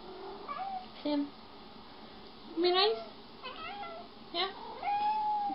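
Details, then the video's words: Domestic cats in a compilation of jealous pets, filmed indoors; a handful of short meows, some rising and drawn out, scattered across five seconds, with a person talking between them. "Cute cats feel jealous"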